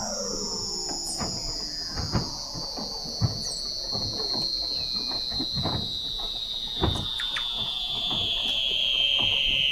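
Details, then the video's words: Weddell seal vocalizations beneath sea ice in McMurdo Sound, Antarctica, November 2017, from a fixed underwater observatory: a long piercing high whistle slowly falling in pitch over dense scattered clicks and knocks. "Song of the Antarctic Weddell Seal"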